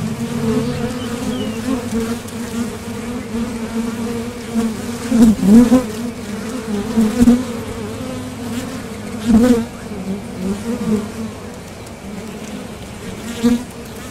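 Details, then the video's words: Honeybees coming and going at the entrance of a top bar hive while foraging for nectar, a constant low hum punctuated by several louder buzzing swells as individual bees fly past close by. "Bees Sound Effects | WHITE NOISE | RELAJANTE Sonido de las Abejas"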